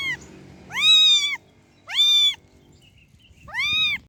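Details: Cat meowing, clear, high and tonal: three arched meows, each about half a second long, rising then gently falling, spaced roughly every one and a half seconds, with a quiet background.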